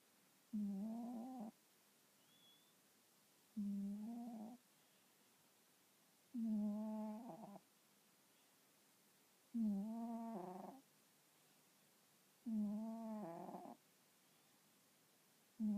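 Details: Sleeping domestic cat that snores rather than purring: five rhythmic snoring breaths, each about a second long and repeating roughly every three seconds, low and harmonic with a slight rise at the end, in a quiet room.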